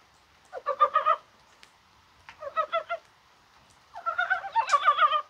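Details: Rain on a spring-like 21 January brings brown mountain frogs into voice, possibly spawning. Three groups of quick, throaty pulses follow one another, and the last is longer and denser.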